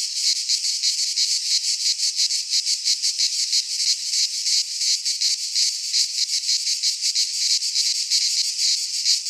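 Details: Cicadas in full midsummer song among Greek pines: shrill, metallic, pulsing drone with rapid even beats near three per second, sustained throughout and free of other noises.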